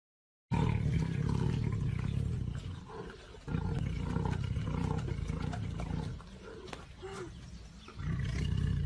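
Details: Tiger eating meat, giving a deep, rumbling growl held low and steady in long stretches, broken by a couple of quieter pauses.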